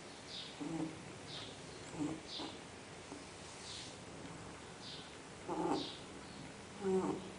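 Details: Sleeping dog named Fred snores steadily, soft nasal snorts and high whistling exhales recurring every second or so, the last two snores louder and more rasping, against a low household hiss.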